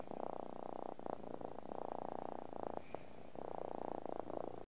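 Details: Continuous domestic cat purr, fast fluttering throb holding for one to two seconds at a time, then a brief dip as the cat breathes before resuming.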